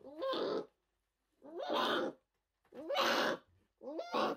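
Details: A fragile newborn orphaned brown bear cub, rescued in 2023 at the Orphan Bear Rescue Centre, cries in four loud bawling wails, each about half a second long with a rising start, repeated roughly every 1.3 seconds.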